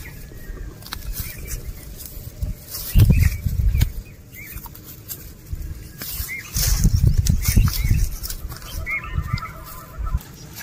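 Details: Cows and oxen eating grass while walking: bursts of crunchy, rustling tearing and munching in two main spells, with small birds chirping brief whistled notes in the background.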